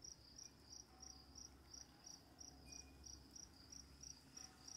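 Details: Night crickets give short, high pulses, roughly three to four each second in an even rhythm, over a soft hissing background.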